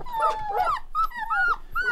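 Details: Several one-month-old Rottweiler puppies howling together, overlapping thin tonal howls that bend up and down, short arched notes cutting across a steady wail, with soft scuffling underneath.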